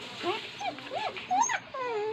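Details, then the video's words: Soft, arching whimpers from a pet dog being asked whether it is hungry, several short rising-and-falling whines over a steady background hiss, ending in a longer drawn-out whine. "Talking to my Dog"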